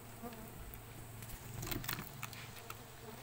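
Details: Stingless bees in a coconut-shell hive opened for honey harvest give a low, steady droning hum, swelling briefly midway, with scattered clicks and handling taps over it.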